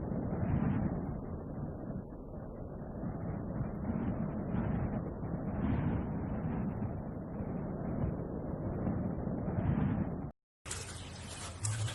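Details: A steady low rumble like engine or wind noise, cut by a brief silence and then a burst of hiss.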